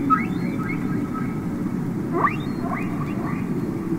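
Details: Singing humpback whale heard underwater on the Capitol Records ST-620 album: a clear held tone, then rising slides and bright upswept squeals in quick succession, set against a low, hissing sea rumble.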